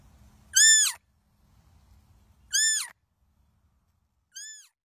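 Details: A young muntjac (baby barking deer) gives high, nasal bleats, each briefly rising then falling, with long pauses between.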